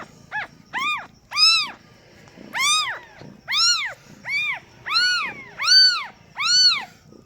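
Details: Freshly born kittens of a cat giving birth for the first time cry out in short, high, arching mews, roughly ten calls, some brief and thin, others longer and fuller, spaced irregularly against a quiet background.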